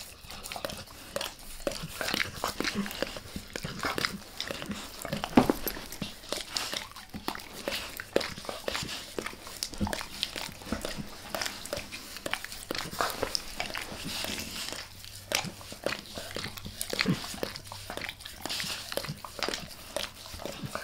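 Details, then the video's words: Max, a pet dog, licking his owner's face indoors for close-up ASMR: a steady stream of wet, clicking tongue smacks and slurps, irregular and rapid, with a faint low hum underneath and no talking. "Max Licks | Face Part Deux | ASMR DOG LICKING"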